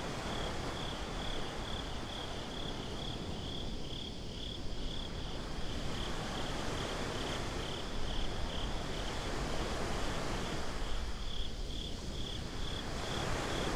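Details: Binaural night recording of crickets at the beach: a continuous rapid pulsing of high, thin chirps layered over deep surging surf and wind that swell and ease across the passage.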